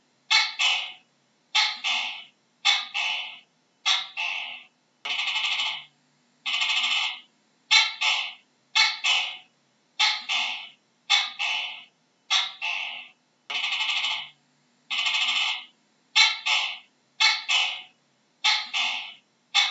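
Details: A gecko calling in a long, steady series of harsh, buzzy two-part notes, each about half a second. The notes repeat roughly every second with short silent gaps between them, and a faint low hum sits underneath.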